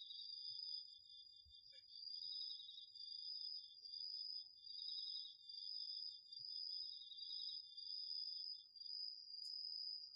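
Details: Two autumn insects, crickets among them, calling together in a garden field, recorded with a DR-40X: two steady high trills at slightly different pitches, one pulsing in waves, the other stopping near the end, with a faint click.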